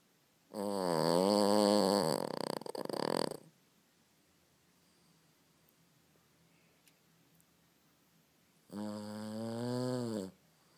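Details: A very tired Boston Terrier snores loudly, with a rough, rasping, chainsaw-like buzz on each breath.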